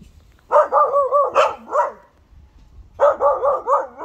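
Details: Bernese Mountain Dog puppy Josef, born 17 October 2020, in early barking attempts: two runs of rapid, wavering, hoarse yelps, each lasting about a second and a half, separated by a short silence.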